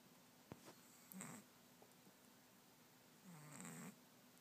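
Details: A kitten with a cold-blocked nose snores in sleep, with two wheezy, slightly whistling nasal snores about two seconds apart over a quiet background.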